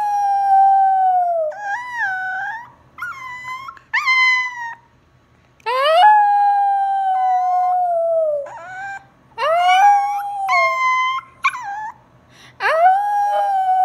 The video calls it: Shih tzu howling